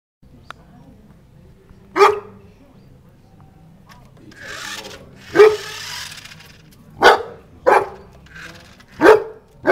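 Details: A one-year-old Newfoundland dog, playing with a toy car, gives five deep single barks spaced irregularly, with a soft shuffling noise between them.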